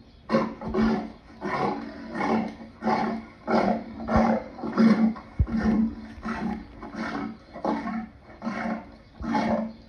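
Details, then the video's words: Lion giving a long series of short, deep grunting calls, roughly one every two-thirds of a second, each a low throaty pulse rising and falling in loudness, with no other clear sounds. "Lion sounds part 2"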